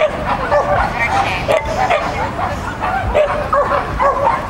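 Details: Shetland Sheepdog at a child-and-dog competition on 31 May 2015, giving short, bright yipping barks in rapid bursts, several per second, over steady crowd chatter and voices.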